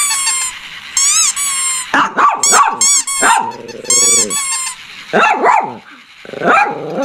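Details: Shih Tzu barking in quick, choppy bursts mixed with a drawn-out low growl in the middle and thin, high-pitched squeaky tones at the start, the barks coming in irregular clusters.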